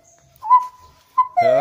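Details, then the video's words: Gibbon, described as a rare ape, singing at a monkey temple in Thailand: one long, steady, clear whistled note held for about a second, followed by a man's voice speaking. "ПЛАЧ ГИББОНА"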